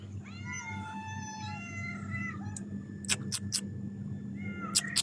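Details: Three house cats greeting their owner, a worker in Qatar, on his return from duty, eager for food; a long drawn-out meow lasting over two seconds, then a shorter one, with clicking handling noises and a low steady hum.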